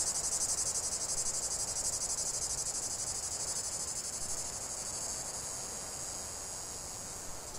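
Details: High, buzzy cicada song, pulsing rapidly and loudest at first, then easing into a softer, smoother drone over the last few seconds.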